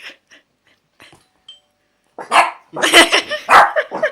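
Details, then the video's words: Small German Spitz (Kleinspitz) pet barking indoors in reaction to strange noises, with a Chinese Crested Dog also present; quiet ticks, then a run of loud, harsh, rapid barks in the last two seconds. "Kleinspitz Lenni Barks At Strange Noises"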